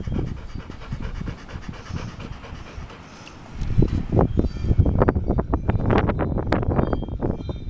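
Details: Six-year-old male Pit Bull panting hard, with quick, rough, breathy huffs that grow louder after a quieter, muffled start and carry on steadily to the end.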